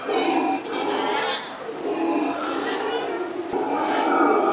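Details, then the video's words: Black howler monkeys at a zoo, a troop of four newly arrived females and a male-female pair, seeing and hearing each other through a tunnel system, trade rough, throaty howls and grunts in loud territorial exchanges; calls carry up to 3 miles. "Black Howler Monkeys Exchange Words"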